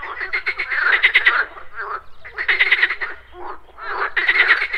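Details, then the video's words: Pond frogs croaking on a morning with insects buzzing; three loud bursts of fast pulsed croaks, each about a second long, separated by softer overlapping calls. "MORNING FROG POND - Nature of Relaxation, Nature Sounds, Frogs Croaking"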